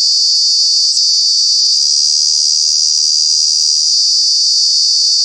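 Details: A cicada in Kanha National Park, Madhya Pradesh, India, gives a loud, continuous high-pitched summer buzz that holds steady without a break.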